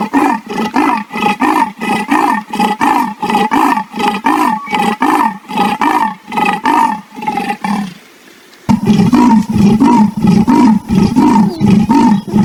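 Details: Leopard sawing in a long train of rough, rhythmic grunts, about one and a half per second. After a brief pause, a denser, louder burst of similar rasping strokes follows.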